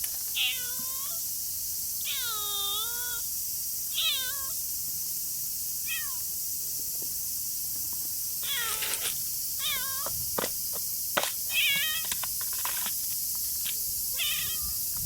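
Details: Stray tortoiseshell cat sheltering from rain. It gives a long series of clear, harmonic meows, some drawn out and falling, others short, about one every second, over steady loud rain hiss.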